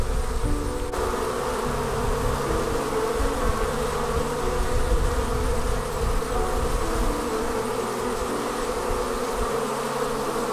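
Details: Honey bees departing their hive and forming a swarm: a dense, continuous droning hum with a steady midrange buzz over a low rumble, unbroken for the whole stretch.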